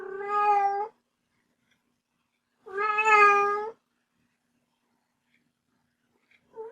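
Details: Two clear, evenly pitched kitten meows about two and a half seconds apart, each around a second long, with the start of a third at the end; a family pet kitten recorded indoors.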